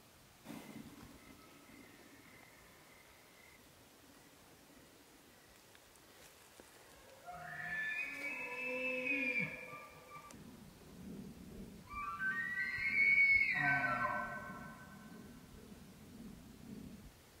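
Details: Elk bull in the rut calling twice: long, harmonically rich bugles with a high whistled top over lower, rougher tones, each lasting two to three seconds. Quiet outdoor background between calls.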